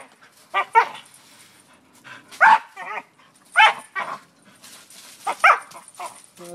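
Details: A dog goes after a tree for no known reason, making scattered sharp, harsh barks roughly every second with quieter gaps between them.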